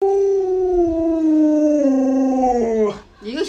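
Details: Alaskan Malamute Luoluo, a household dog whose family has grown, answers its owner with a long 'woo' howl, about three seconds, falling gradually in pitch before a short breathy break and a human voice.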